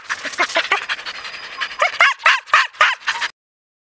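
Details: Excited chorus of Siberian husky yearlings and six-year-old Ravn during a 2011 spring run: quick, repeated yelping barks with a rising, bent pitch, about three or four per second, ending abruptly into silence.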